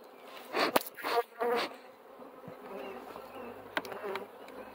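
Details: Loud bee buzzing in two quick close passes at the start, then a quieter continuous drone with a brief extra burst later on.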